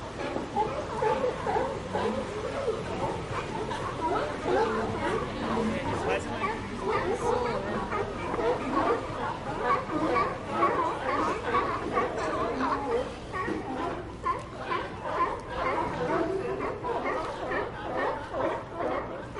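A crowd of sea lions keeps up a dense babble of overlapping barks and honking calls.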